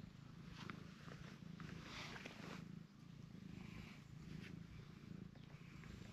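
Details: Cream-coloured stray cat purring steadily while its face is petted, a low continuous rumble with faint rustling over the top.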